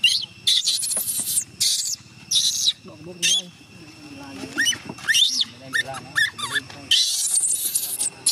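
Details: Young chimpanzee named Gina crying and screaming as her carer tries to go home, begging her to stay; loud shrill screeching bursts repeated in quick succession, with short gaps, and human voices talking between them.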